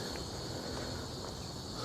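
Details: On a city trail between Mirante do Sacopã and Mirante do Urubu, a steady, high cicada drone hums under a person talking, with city noise and passing ambulances in the distance.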